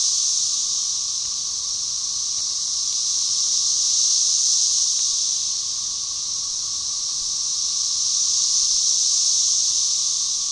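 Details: Magicicada tredecassini of Brood XIX in a synchronized chorus at Tyler Bend Park, Buffalo River, Arkansas, May 30, 2011: a high, hissing whine swelling and fading in waves, with Magicicada tredecim droning in the background.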